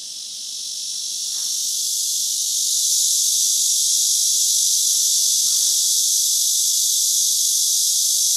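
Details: Cicadas right outside an apartment in Paju start up with a loud, steady, hissing buzz that swells and then holds at strength, though not yet at their full volume.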